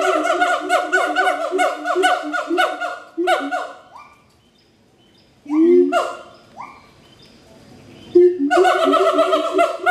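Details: Two captive siamangs in Jakarta, Indonesia, singing a duet on an April late morning: rapid series of loud hooting barks, a pause, then drawn-out rising and falling whoops before the fast barking resumes.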